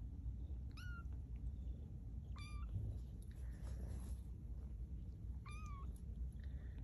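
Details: Maude's two-week-old kittens at Baystate Animal Cooperative, taking first steps; three high, piercing mews spaced a few seconds apart, each dropping in pitch toward its end, against a steady low background hum.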